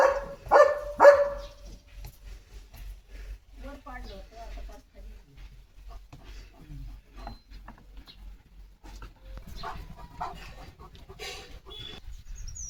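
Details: Leo, a German Shepherd, barks as he runs out in the morning into a yard with yellow champak and blue butterfly pea flowers. Two loud, sharp barks open the recording, followed by quieter human talk and light background rustling.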